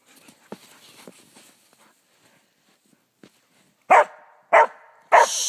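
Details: Dog during a dog fight after a race: three loud, harsh barks near the end, spaced about half a second apart, after quieter scattered thuds and rustling.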